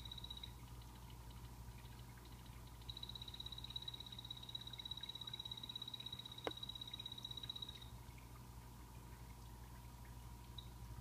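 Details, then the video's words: Pet blue-bellied poison frogs calling in a planted vivarium: a rapid, high, evenly pulsed trill runs for about five seconds after a brief opening burst, over a steady low mechanical hum and a single sharp click. "Sound Of Poison Dart Frogs Calling (hyloxalus azureiventris)"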